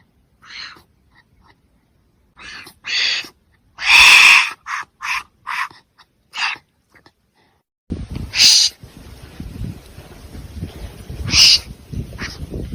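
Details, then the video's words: Irregular short rasping huffs and one prolonged loud hiss from a wombat, followed by two sharper hisses over a continuous scuffling, rustling background. "Real Wombat Sounds | High Quality | Strange Wombat Sound Experience!"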